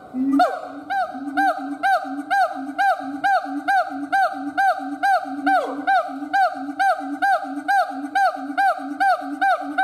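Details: A siamang gibbon howls in a fast, steady rhythm, about two calls per second. Each call pairs a low resonant boom with a bright, arching bark, repeated evenly for the whole stretch.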